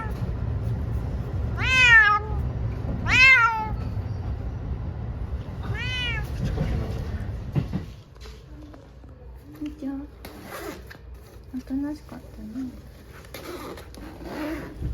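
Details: Munchkin cat, one of two pet cats taken to an animal hospital for a blood test, gives three loud, drawn-out meows that rise then fall, each about two seconds apart, before people greet each other and chat at the clinic.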